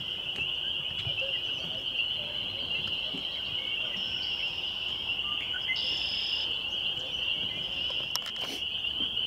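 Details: Spring peepers in full chorus at Laurel Creek Conservation Area, Ontario, Canada, on a May 2021 evening: steady high shrill peeping throughout, a brief higher trill midway and a few clicks near the end.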